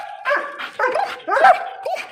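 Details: Alsatian dog described as having a fierce attitude, giving a run of short tonal barks and yips, about four bursts in two seconds, some with rising then falling inflections.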